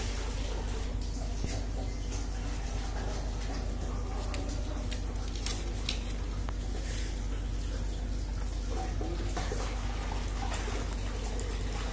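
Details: Steady indoor room noise with faint speech and water-like dripping and clicks, and no animal voice.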